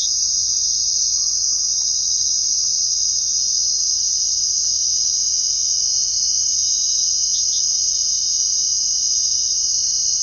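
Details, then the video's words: Night chorus of crickets forming a continuous, shrill, even trill that never pauses, with a brief pair of slightly lower chirps partway through over a quiet background. "Crickets Chirping at Night"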